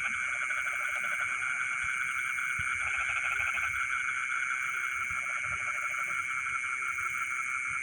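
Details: Midnight rice-field frogs give three separate bursts of fast pulsed croaking, each about a second long, beneath an unbroken layer of high buzzing insects.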